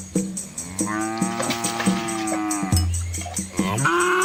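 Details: Red Asian village cattle with calves crossing a small river; a long, level moo that breaks into a deeper low bellow, then a rising call at the end, with steady rhythmic ticking behind.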